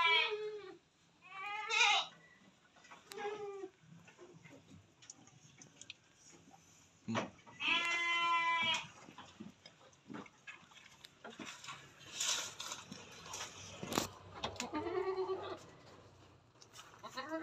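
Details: Etawa crossbred buck goat bleating: several short wavering harmonic bleats in the first four seconds, a louder drawn-out bleat near eight seconds, and a fainter one near fifteen seconds, with scattered clicks and knocks in between.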